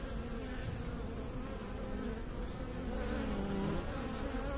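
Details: Honey bees droning in a steady, low hum with layered overtones, the buzz swelling slightly louder in the last two seconds, with no other sounds.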